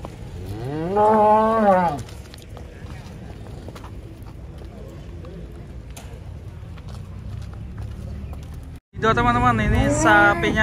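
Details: Cattle being unloaded from a truck, agitated: a loud drawn-out moo with rising then falling pitch at the start, a quieter stretch of low lowing and noise, then a brief break and another strong moo.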